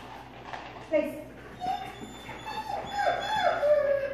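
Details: Male German Shepherd puppy, 11 weeks old, during an obedience training session, giving thin, high whimpers that rise and fall in pitch, growing more insistent toward the end, while a person talks nearby.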